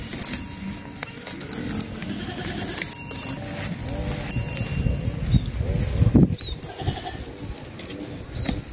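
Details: Sheep being herded on a farm: wavering, harmonic bleats overlapping one another, several animals calling over a steady low rumble of outdoor noise.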